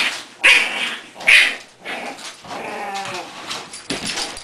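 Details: Four English Bulldog puppies play and play-fight with short, sharp yips and squeals and softer grumbling between bursts, while the adult bulldog Kona referees their fights.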